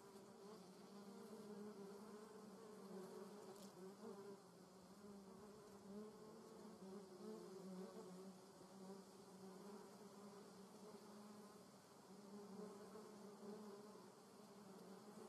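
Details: German wasps buzzing in a garden in Germany's Eifel region: an unbroken low drone with a fainter upper overtone, swelling and fading as insects pass, broken once by a brief sharp click.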